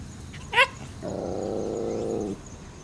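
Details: Mother Shiba Inu barks at crows as her puppies, born 16 August 2017, play outside for their second day on a hot day, 14 September 2017; one sharp bark, then a long low, droning growl-like sound of over a second.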